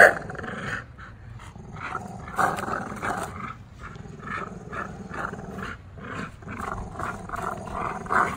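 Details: Two tri-color American Bullies, Gusto and Big Girl, growl while playing tug-of-war one afternoon, not fighting. Rough, rumbling growls pulse continuously in uneven bursts about every half second, with scuffling between them.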